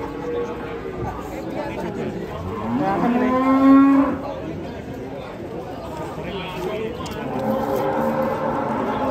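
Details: Large European-class cattle coming down off a truck, a loud rising moo swelling around three to four seconds, with further softer lowing afterward and murmuring voices in the background.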